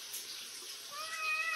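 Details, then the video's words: Talkative cat, one of the neighbourhood street cats, chatting with its owner: a quiet, rising-then-level meow with clear harmonics in the second half, over soft background hiss. "too much talk the cat 말많은 고양이"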